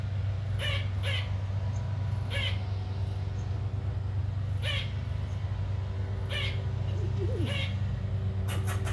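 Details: Squirrel harassing an unbothered cat: short, sharp, raspy chirping barks, about seven over nine seconds at uneven intervals, ending in a quick cluster, over a steady low mechanical hum.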